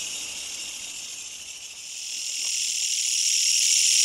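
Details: Nearby katydid, likely a Kutsuwamushi, producing a continuous high-pitched pulsing rasp that swells louder over the last two seconds. No other animals are heard.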